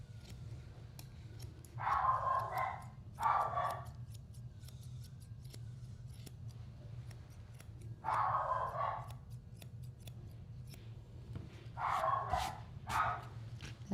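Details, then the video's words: An aggressive, biting mini doodle at a dog grooming salon in Tampa, Florida, ungroomed for about three months, barks in short, rough bursts, with the snip of scissors in between. "That's our biting mini doodle who is barking."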